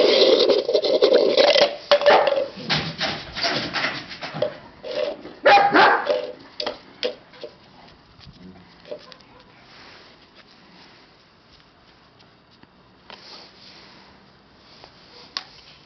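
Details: Siberian Husky puppies giving a fast burst of sharp, overlapping yips and barks for about seven seconds, then fading to scattered, softer yaps and quiet pauses.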